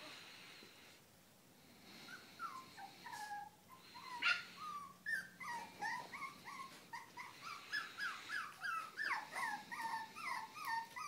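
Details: Pair of Japanese Spitz sisters at play: after a quiet start, a rapid run of high whining yips, each bending up then down, repeating almost twice a second and growing louder and denser toward the end.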